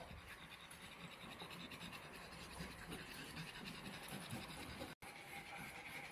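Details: Rescued stray dog panting steadily outdoors, rapid breathy rhythm of roughly three pants per second, broadband hiss with a brief gap near the end, faint voices nearby.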